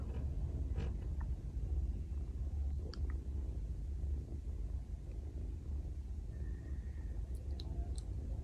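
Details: A domestic cat lying beside its owner for an hour purrs in a steady, deep, throbbing rumble that runs without a break.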